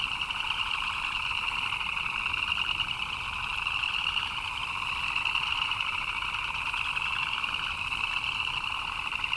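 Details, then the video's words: Frogs chirping in the rain: a dense, unbroken chorus of many overlapping callers forming a steady shimmering trill in two pitch bands, the higher one bright and pulsing, holding constant loudness throughout. "Frogs chirping in the Rain"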